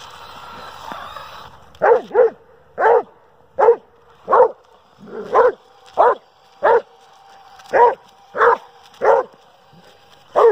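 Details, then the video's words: Kruz, a Dobermann, barks repeatedly at a remote-control car, a quick double bark then a steady run of loud single barks roughly every half second, with a toy motor hum in the background. "Doberman Pinscher Hates RC Car"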